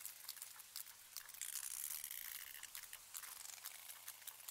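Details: Several socializing sperm whales (Physeter macrocephalus) creak at each other, some close and some farther away. Creaks are rapid buzzing click trains, the close-range echolocation used when homing in on prey.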